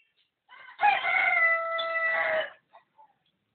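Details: Dog imitating a cock's crow with a sustained, tonal, harmonic call lasting nearly two seconds. A short lead-in note comes first, and the call sags slightly in pitch before cutting off. A few faint clicks follow.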